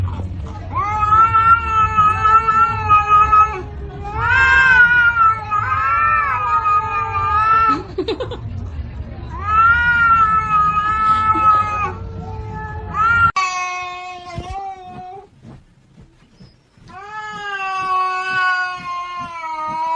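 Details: Domestic cat voicing displeasure: long drawn-out wailing yowls of several seconds each, rising and wavering, with short breaks between them and a low background hum in the first part.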